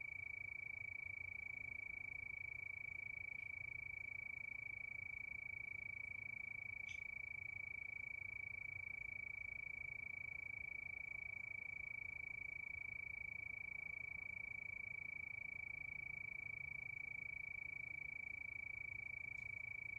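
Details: Crickets at night under the moon, a steady chorus: a constant high, shrill trill pulsing evenly, about three and a half beats per second, over a soft low rumble, with a faint click or two.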